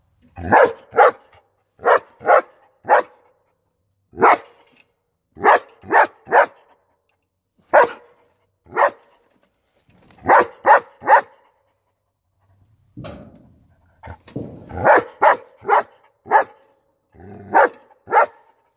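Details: Steady barking from a German Shepherd: dozens of sharp barks in pairs and triplets, repeated for nearly twenty seconds, with a brief lower rumbling noise midway.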